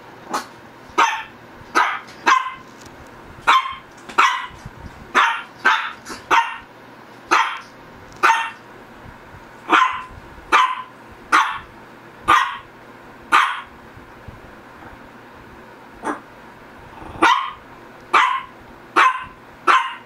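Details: A Shih Tzu barks persistently for twenty seconds, about twenty short, sharp barks in an irregular run with a brief pause near the middle, all over a quiet steady hum.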